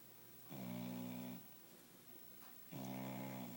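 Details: Ruby, a dog, curled up on the couch for a snooze after a late afternoon bath: two long, buzzy, droning snores, each just under a second, spaced about two seconds apart, with a quiet indoor hush between breaths.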